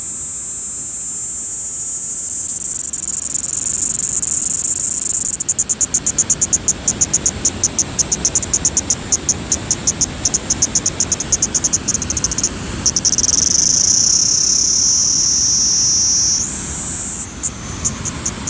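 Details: Kaempfer cicada singing at Sogi Falls, Kagoshima Prefecture, Japan, on 13 July 2020 at 12:49: a continuous, very high, shrill drone. Around the middle it breaks into rapid, regular pulses, then returns to a steady whine with slight pitch shifts. Faint low rumble beneath.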